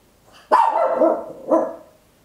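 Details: Two close barks from a little Papillon at home, recorded on an Olympus LS-11 in stereo: a long, ringing first bark and a shorter second one a second later, both tonal with clear harmonics.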